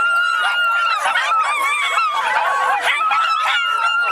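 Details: Pack howl from a group of Miniature Schnauzers gathered in the Seattle area: sustained, steady tonal howls held at a fairly even pitch, several dogs overlapping, with quick wavering yips woven through.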